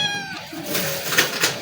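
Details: Kitten that recognised a person after a single day of affection, running toward that person; one short, high, falling meow with stacked overtones opens the moment, followed by faint background music and voices in a small indoor space.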